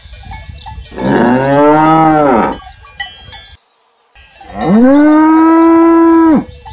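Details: Two drawn-out moos from domestic cattle, each about one and a half seconds, the second louder and flatter, separated by a brief quiet gap.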